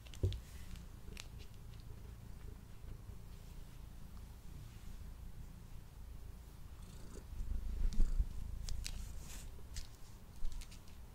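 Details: Male domestic cat purring while eating, captured close on a Blue Yeti microphone: a steady low rumbling purr runs throughout, broken by sharp clicky chewing and licking sounds, with a louder burst of eating noise near eight seconds.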